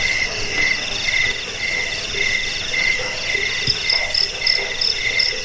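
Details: Crickets played to scare rats, help sleep and train birds: a lower trill pulses in short bursts about twice a second, joined midway by a higher chirping voice over a constant insect hum.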